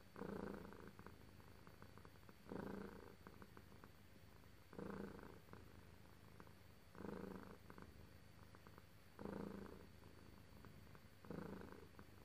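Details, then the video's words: Domestic cat purring while being petted, a low rumbling purr that swells in bursts roughly every two seconds, each with a softer stretch between, over a faint steady background hum. "Lovely cat purrs while being petted"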